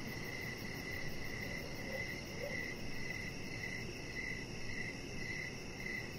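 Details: Crickets chirping on an evening deck lit with decoration lights, a chihuahua puppy lying nearby. Crisp, repeated high chirps pulse around twice a second above a thin fast trill and steady low ambient noise.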